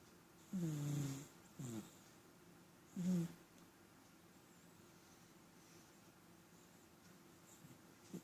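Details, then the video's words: Domestic cat snoring, a cat said to snore often: three low, rasping snores, one long and two short, in the first three and a half seconds, then quiet breathing and faint background hiss in a still room. "Кот храпит"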